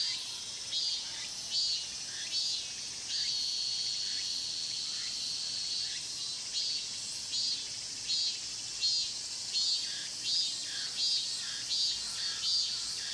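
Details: Pine-grove cicada chorus at Mokgye, Cheongsong, filmed on a Panasonic LUMIX GX9: a bright, shrill buzzing drone broken by regular pulsing bursts, a little more than one per second, over quiet background.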